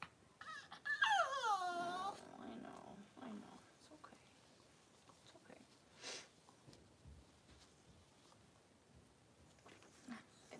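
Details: Indoors during a Cavalier King Charles Spaniel birth of six puppies within two hours, a bright whimper slides downward in wavering steps early on, followed by faint rustling, soft thuds and a little quiet background noise.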